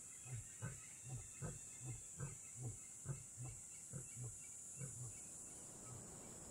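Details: Lion in Kgalagadi Transfrontier Park, a steady series of deep, short grunts, roughly one every second, low and evenly spaced, with a faint hiss of background noise above.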